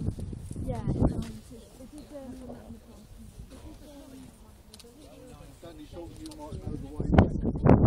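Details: Grey seals at a breeding colony at Donna Nook on the east coast of the UK; a long, wavering, mournful moan holds for several seconds, with human voices and rustling around it and a loud burst at the end.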